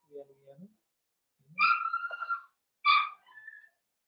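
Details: Blenheim Cavalier King Charles Spaniel puppies, a litter of five born at New Year's to Paris and Spike, in the Red Barn Cavaliers puppy pen indoors; two high, drawn-out harmonic whines, with soft low murmurs beforehand.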